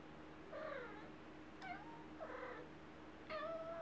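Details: Wylla, a chatty little cat, meowing four times in a quiet room: short, slightly falling mews alternating with brighter, higher calls, each well under a second and spaced roughly a second apart.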